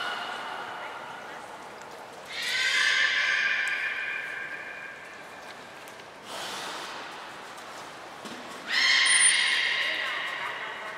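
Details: Belugas Mirai and Niko at Port of Nagoya Public Aquarium, Japan, during training on 20 February 2021: three drawn-out, harmonic squealing calls like a whinny, each about two seconds, spaced a few seconds apart, with a thin high whistle tone near the end.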